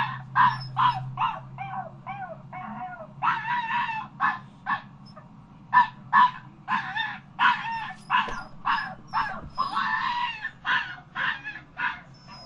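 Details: Dog yipping and whimpering in short, sharp bursts, roughly two per second, some cries bending upward into whines, uneven rhythm throughout, with a faint low hum in the background.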